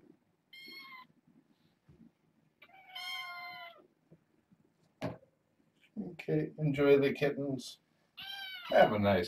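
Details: Young kittens at bedtime in a foster home, four females and two males born August 29th: several bright, high-pitched meows, some short and some drawn out with rising-falling pitch, mixed with a person talking over them.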